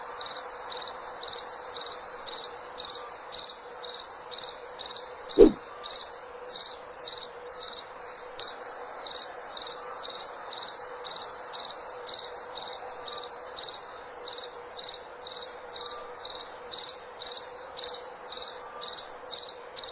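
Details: Insistent cricket song: clear, high, trilling chirps repeated around twice a second without pause, broken once by a brief sharp click, over a faint low drone.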